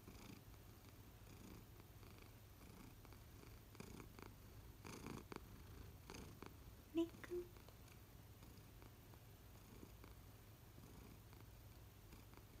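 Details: American Shorthair pet cat at home, one of three adults, purring indoors: an even low rumble that runs the whole stretch, broken by a couple of small brief clicks midway and light handling noises.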